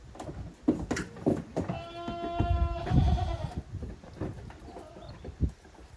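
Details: Goat kids at play in the exercise yard of Yoshigake goat farm, Japan, 30 April 2023. One sustained, steady bleat lasting nearly two seconds rises out of clattering hoof and body knocks.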